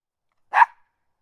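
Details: Small dog giving a single short, sharp bark in otherwise complete silence.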